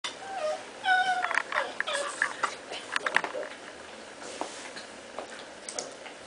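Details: Cats play fighting indoors, giving a string of short harmonic mews and chirping cries near the start, then scattered squeaks, thumps and scuffling as they wrestle; a person speaks briefly.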